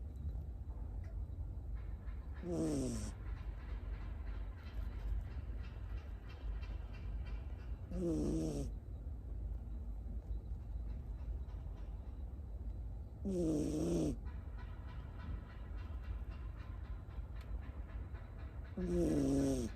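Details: Miniature Schnauzer puppy, female, born October 2021, sleeping on a lap at home, snoring softly: low breathy snores with a faint rising tonal whine, repeated roughly every five seconds over steady low rumble.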